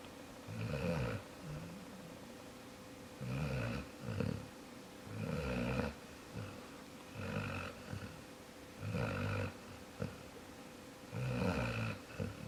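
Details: A dog named Jaxson snores steadily, with about seven deep, rattling breaths spaced one to two seconds apart. Some breaths break into double pulses, and the room is otherwise quiet.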